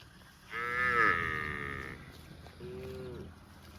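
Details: Cow eating grass in a park lets out a strong, drawn-out moo followed by a shorter, softer moo, both with steady tone and bright harmonics.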